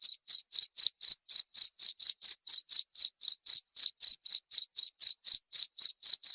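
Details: Cricket sound used to scare off rats: a continuous train of short bright chirps at a steady pace of roughly four per second, alone and free of background noise.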